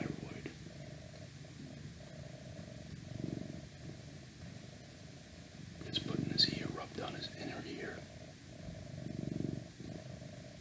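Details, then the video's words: Pet cat purring as a soft low rumble that rises and falls in waves, overlapped by close whispering and some brief clicks midway. "Cat Purring"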